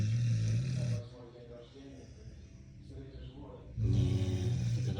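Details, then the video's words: Bordeaux mastiff snoring: deep, rumbling low snores fill the opening second and return strongly near the end, with quieter breathing and a man talking in Russian in between. "Собаки не храпят"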